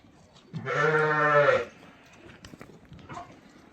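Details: A ram with a breeding record, offered for sale; one loud, hoarse, steady bleat lasting about a second, followed by quiet background and faint voices.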